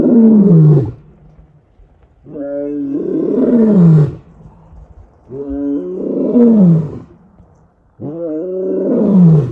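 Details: Male lion walking purposefully on an early morning game drive in Kruger National Park, calling his pride: loud, deep grunting roars, each a short burst sliding downward in pitch, repeated about every two to three seconds with brief pauses between.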